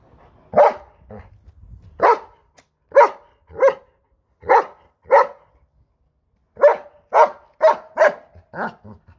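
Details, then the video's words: German Shepherd named Major barking while arguing with a lawn mower: about a dozen loud, sharp barks in irregular bursts of two to five, separated by short silences, with a faint low rumble early on. "German Shepherd's arguing with lawn mower"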